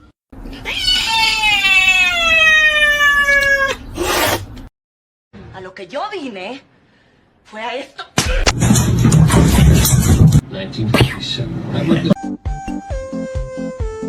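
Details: Domestic cat letting out a sustained wailing yowl of about three seconds that slowly falls in pitch, followed by a short wavering cry, then people talking loudly and music.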